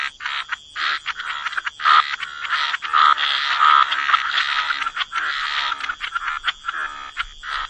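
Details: Gentle chorus of frogs in wetlands, long rasping croaks overlapping into a nearly continuous buzzy texture with occasional brief gaps, steady high tone in the background.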